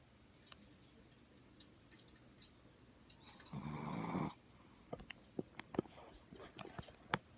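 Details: A sleeping male long-haired Chihuahua gives one loud, noisy snore lasting under a second, a rough breathy rasp with a low hum beneath. Scattered small ticks and clicks follow in the quiet afterwards.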